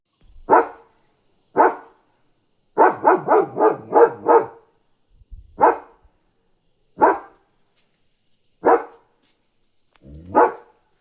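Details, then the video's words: German Shepherd on night guard duty, barking loudly to warn that a dog is outside: single deep barks spaced about a second apart, then a rapid burst of five, then more spaced barks, over a steady high electrical whine. "Barking German Shepherd on Alert!"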